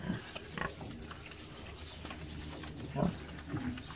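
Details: Pigs on a snowy farm, a sow with eleven piglets, some outdoors drinking and some still inside; short low grunts near the start and a cluster of soft grunts toward the end over steady background rumble.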